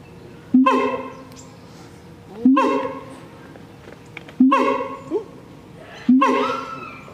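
A siamang gives loud, rich whooping calls that rise sharply, repeated about every two seconds.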